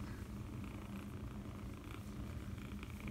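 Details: Continuous deep purring from a seven-week-old foster kitten, a rough rhythmic vibration held for about three seconds, with soft rustling and faint handling noises above it.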